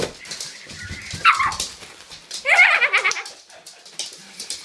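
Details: A Jack Russell Terrier puppy gives short, high, strained whines and yips in two quick bursts on Christmas Day while opening a present.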